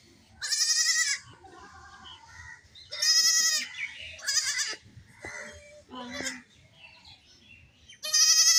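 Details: Baby goats playing and jumping, a lone kid crying without its mother; loud, high, wavering bleats near the start, middle and end, between quieter shorter cries and soft background noise.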